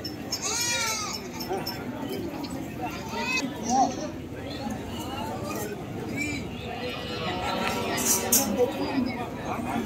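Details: Goats at a crowded animal market bleat with a bright, wavering call early on and shorter bleats after. People talk constantly in the background.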